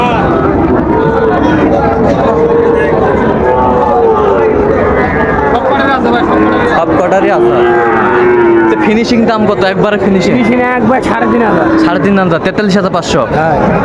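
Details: Sahiwal bull calves at Raniganj cattle market in Dinajpur, Bangladesh, on 9 September 2024: long, drawn-out, wavering low moos, several in sequence, over constant crowd chatter and bargaining voices.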